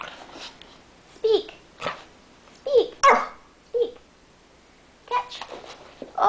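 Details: Dog doing tricks indoors, barking when told to speak: about six short barks in uneven bursts across several seconds, interleaved with a person giving commands and praise.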